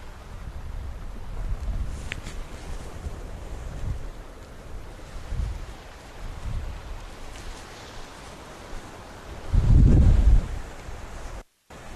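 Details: Low wind rumble and microphone buffeting fill the recording, swelling into a loud gust near the end. No animal calls can be picked out.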